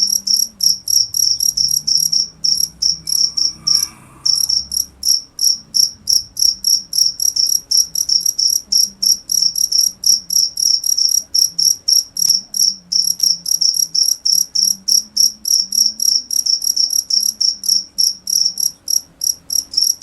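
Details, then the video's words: Cricket chirping loudly and steadily, high bright pulses repeated several times a second with a short break near four seconds, over a faint low murmur. "cricket sound"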